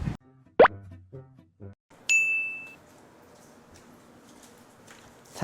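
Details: A short plop sound effect and a few brief voice fragments, then a bright sustained ding chime over quiet background, with no animal voice.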